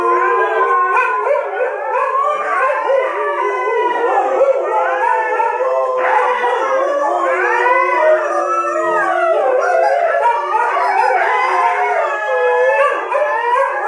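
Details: Siberian Husky howling together with other household dogs: several overlapping long, wavering mid-pitched howls rising and falling in layered harmony, sustained throughout without pause.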